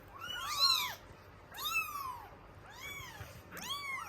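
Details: Norwegian Forest Cat kittens at a cattery clamouring for milk; several high arched meows rising then falling, four bursts over about four seconds, overlapping voices, quiet low hum behind.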